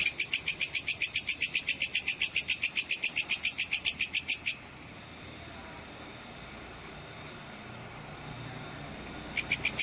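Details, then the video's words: Sword grasshopper (belalang pedang cicir) used as master audio for competition songbirds: about four and a half seconds of rapid, shrill pulsed chirps, roughly four per second, then near silence before the pulses resume briefly at the end. "suara belalang pedang cicir full untuk masteran semua burung lomba"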